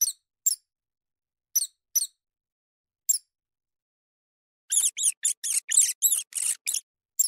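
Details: Field mouse squeaking: several isolated, piercing high chirps at irregular intervals, then a rapid, dense run of about a dozen overlapping squeaks near the end, with no other sounds.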